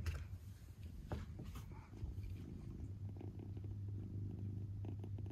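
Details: Domestic father cat beside his kitten, giving a deep continuous purr with a rapid pulsing rumble, a few soft clicks and rustles in the opening seconds.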